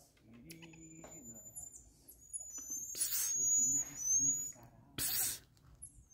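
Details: Marmosets at the rescue institution Instituto IRMA on 13 May 2023 give thin, very high whistled notes, some long and level, others short and sliding. A person hisses a soft 'psiu', and brief rustling bursts break in.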